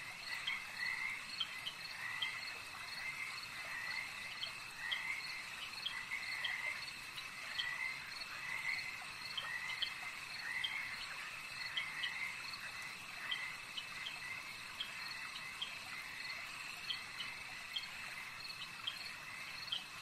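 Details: Frogs calling at a lake, a dense chorus of short raspy croaks repeated steadily throughout, several callers overlapping, with a constant high insect-like hum and a soft background hiss.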